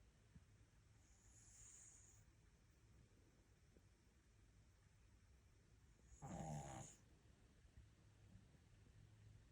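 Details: Ttuttu, a pet dog, asleep and snoring: faint low breathing, then one rough, buzzy snore lasting under a second, over a soft steady room hum.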